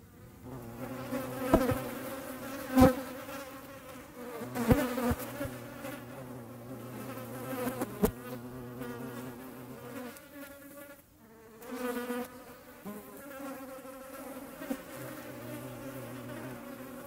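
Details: A European hornet's deep, droning wing buzz, steady but shifting in pitch, with occasional sharp taps, recorded in the Eifel.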